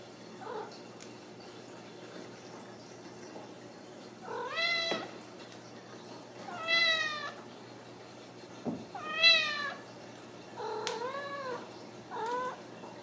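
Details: Ragdoll kittens raised indoors without cages at a cattery in central Kansas, giving five rising-falling harmonic meows spaced a few seconds apart, with quiet room noise between calls.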